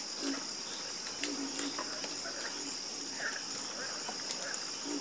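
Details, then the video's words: Harmonious croaking of frogs at night, scattered low croaks and brief higher pulses from several animals, set against a continuous bright buzzing background. "FALL ASLEEP FASTER WITH FROGS 🐸 Sleep Like A Baby With The Calming Sound Of Harmonious Frog Croaking"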